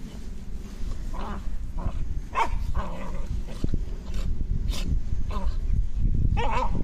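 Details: Terriers wrestling in play give short yips and growly barks at irregular intervals, over a rumble of scuffling and handling noise.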